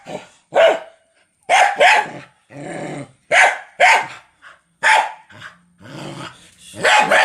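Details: Dog giving loud, harsh barks in pairs and singles separated by short pauses, mixed with rough, low growling between bursts.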